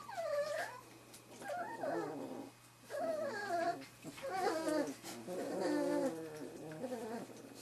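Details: Bluestem Kennels' 2013 "E" litter of Wirehaired Pointing Griffon puppies, 3.5 weeks old, at their first bird-scent exposure. Soft falling whines come in wavering clusters about once a second, some calls overlapping.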